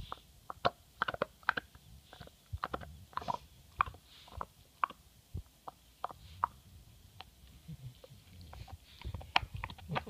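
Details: MOTO, a pet English Bulldog, working on his bone with irregular crunching bites and clicky gnawing over a low rumbling background, some chews louder and sharper than others.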